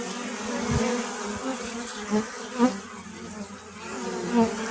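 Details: Continuous low-pitched drone of honey bees, an even hum layered with overtones, with several short louder buzzes swelling and fading as single bees fly near.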